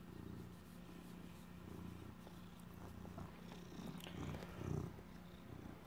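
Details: Rescued street cat turned house pet purrs over cheese he stole and is guarding; deep, even rumbling pulses fill the whole stretch, with light rustling and handling noises toward the end.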